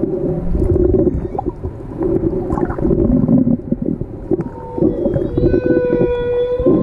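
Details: Humpback whales in Tonga, heard underwater while snorkeling: drawn-out tonal moans with rich harmonics, rising and holding steady in the second half, over constant bubbling, splashing and water noise.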